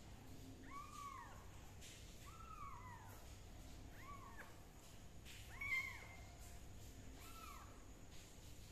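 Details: Kitten under fungus treatment with leaf juice meows five times at roughly even intervals, each call a brief arched wail with a rising then falling pitch, a faint click near the middle and low background hum.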